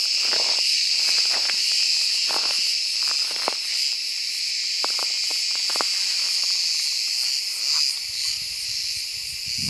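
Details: Cicada sp. in warm summer woodland: an even, high-pitched electric buzz running nonstop, softening slightly near the end, with sharp clicks and a low rumble entering in the final seconds.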